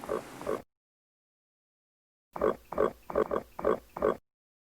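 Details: Pig oinking in a children's animal names and sounds compilation: a short double grunt, a pause, then a run of five or six quick nasal oinks in steady rhythm.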